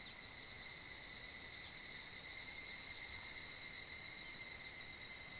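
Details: Higurashi cicadas calling together at dusk in mid-July, their sound echoing across a valley at the foothills of Mount Kanmuri in Funo: dense high ringing with faint wavering phrases riding over a steady buzzing wall.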